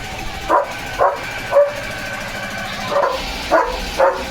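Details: Leo the German Shepherd keeps barking at the sound of a nearby machine in the yard: two pairs of quick barks, then a pause, then three more, against constant low noise.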